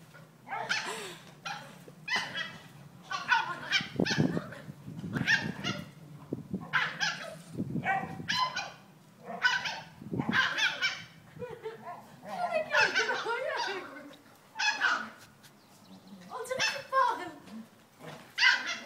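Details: A Maltese and a Hungarian Vizsla, two pet dogs, face off. Sharp, broadband barks come in quick bursts of two to four, separated by brief pauses, and continue throughout.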